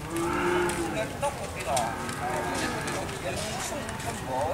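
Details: A collapsed cow that will not get up is being made to stand. It gives a low, drawn-out moo near the start, with people talking and handling noises around it.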